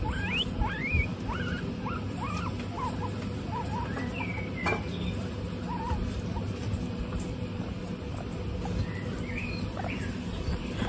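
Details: Group of 26 female guinea pigs kept together on a hot day, giving many short squeaky whistles that rise or dip, scattered irregularly and overlapping from several animals, over a steady low hum.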